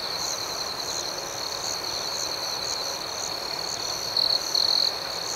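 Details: Nighttime crickets keep up a constant shrill trill and quick rhythmic chirps, then a closer insect adds two short, louder buzzes toward the end.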